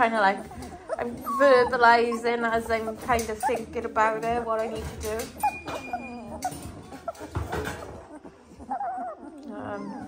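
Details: Chorus of 18-day-old Dalmatian puppies: dense trembling whines packed together for the first half, thinning into softer scattered squeaks and quiet whimpers later.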